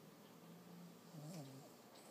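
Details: Sleeping, dreaming six-month-old Lhasa Apso puppy named Toby gives a single short, low, nasal whine that lifts briefly and falls, against a quiet indoor background.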